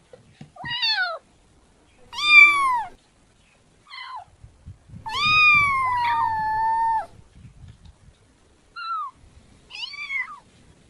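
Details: A kitten gives a string of high harmonic meows, some short and chirpy, one drawn out for about two seconds with a steady falling tone, separated by brief pauses and faint low rustling.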